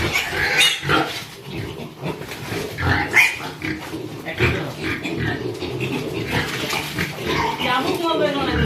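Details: Piglets from Mankar handled while being loaded for sale at a pig farm, giving harsh broadband squeals and grunts in bursts, with people talking loudly over them throughout.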